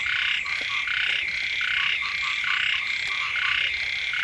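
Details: Frogs of several kinds calling beside a house just as the first rains arrive; a dense chorus of overlapping buzzy, pulsed croaks in half-second bursts, about seventy a minute, with no other sounds standing out.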